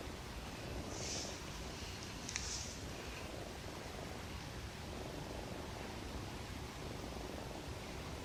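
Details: A cat fast asleep, said to dream of nursing from its mother, breathes in a soft, continuous low rumble of snoring, with a few faint high ticks early on.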